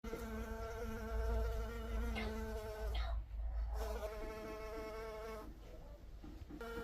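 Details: Honey bee buzzing: a steady droning hum with many even overtones, broken by short gaps near three and five and a half seconds. A deep rumble, like wind or handling noise, runs beneath.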